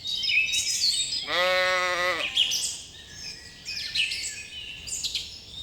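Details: Lambs grazing in a cool green forest: one wavering, nasal bleat lasting about a second, with high bird chirps and twitters continuing before and after it.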